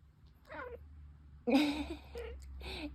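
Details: Red tabby Scottish Fold cat talking in its sleep at home; a few short wavering mews, then a louder, rough, strained cry followed by softer broken murmurs, over a low hum.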